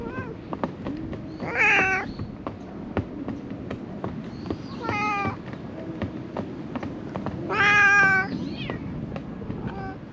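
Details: Among illegally dumped garbage, stray cats give three clear, rich meows with a strong tonal quality, the last one long and loud. Recorded on a GoPro HERO8, with a steady low hum and soft ticking noises underneath.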